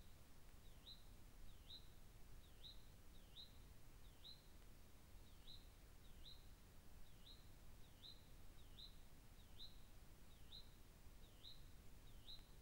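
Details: A cougar caught on a trail camera gives a run of high, bird-like chirps, each a quick dipping-then-rising squeak; the owner is unsure whether it is calling for a mate or for its young.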